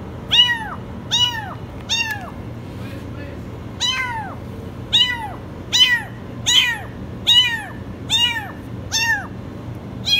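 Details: Kitten trapped in a washing machine, calling with very high meows: a long insistent run of arched cries, roughly one per second, with a brief soft voice in the gap and a low hum throughout.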